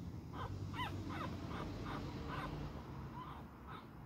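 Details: Fighting beagle puppy letting out a quick run of short, rising-and-falling squeaky yelps, roughly three per second, over steady low room noise.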